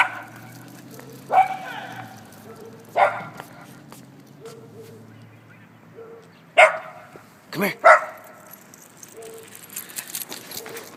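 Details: Dachshunds on leashes patrol fences with holes while neighborhood dogs pass by. Four or five short, sharp barks are spaced several seconds apart over a low, steady background hum.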